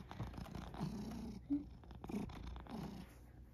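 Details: Male rescue cat, born spring 2019, at home in Shiga, Japan, in early spring, eating dry food and dinner; a low, rough purr in soft pulses with a brief snort, and a woman speaking Japanese nearby.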